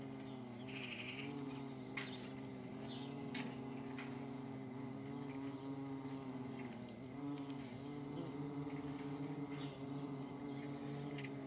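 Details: Paper wasps buzzing in flight, a sustained drone whose pitch rises and dips as the insects move about, several hums overlapping, with scattered bird chirps and twitters in the background.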